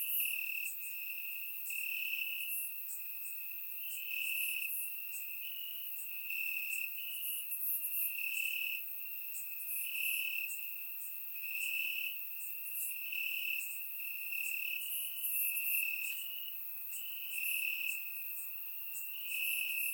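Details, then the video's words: Crickets chirping in grass on a warm summer night in Bulgaria, recorded in surround sound; a persistent high trill throbs in regular louder bursts about every two seconds, backed by a dense layer of fainter high insect calls. "Cricket Sounds - Crickets Chirping at Night"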